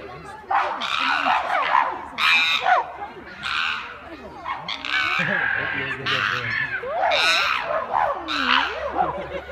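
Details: Chimpanzees at Chester Zoo going wild: loud, harsh screaming bursts break out again and again, each lasting under a second, with a murmur of people in the background.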